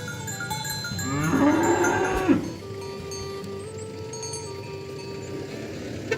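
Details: A cow calling to its herd-mates while cattle and oxen are driven to the pen: one drawn-out moo of about a second and a half, rising then breaking off, over steady background music and a faint chime.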